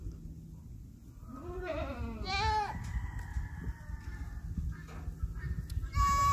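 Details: Mini Nubian goat doe giving birth on a North Carolina farm, pausing between contractions before the first kid arrives; two short rising-falling bleats, quieter trailing calls, and a brief sharp cry at the end.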